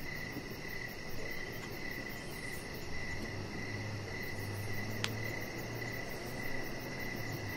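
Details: Evening cricket sound outdoors beside a deck where a chihuahua puppy rests: a high, nearly continuous chirring trill with a faint low hum and one sharp click midway, all over constant background rumble.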